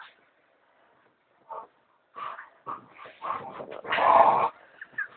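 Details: Pet American Staffordshire Terrier protesting as its owners lie in bed indoors: a few soft whimpers build into quick yips and then one long loud howling bark, followed by a short whine.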